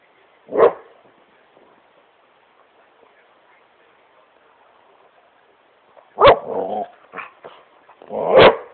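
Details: Great Pyrenees named Smokey playing on his couch in his room: three loud, deep single barks, one near the start and two close together near the end, with soft shuffling between.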